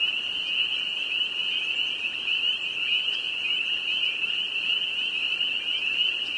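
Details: Massed spring peepers peeping in northern Vermont, countless high piping notes overlapping into a loud, steady, slightly wavering shrill hum.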